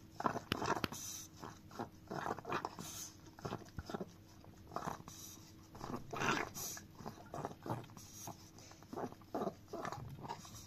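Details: Chihuahua Dio licks a frying pan in a small room, producing a steady run of short wet laps and clicks in uneven bursts, some sharper taps of tongue or teeth on the metal.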